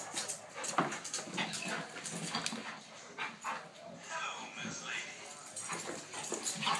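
Weimaraner dogs give sharp, uneven barks mixed with whimpers, with people talking over them.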